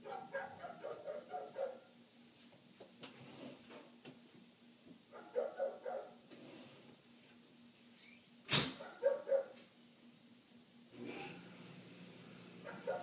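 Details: Through shut windows, a neighbor's dog keeps up its long barking bout, muffled bark bursts arriving in uneven groups, with a sharp indoor knock midway and a constant low hum underneath.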